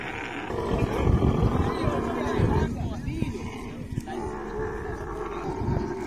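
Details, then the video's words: Deep, throbbing rumbles and gurgling grunts from a camel while mating, heavy in low tones. There is a brief dip in the middle before the rough rumbling resumes. "Camel love full video|| mating sounds"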